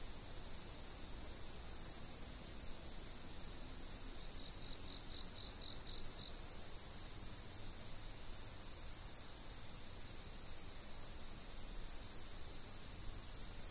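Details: Chorus of insects captured on a stationary camera, a continuous shrill ringing held at two high pitches, with a brief run of quicker pulsed chirps midway over soft low rumble.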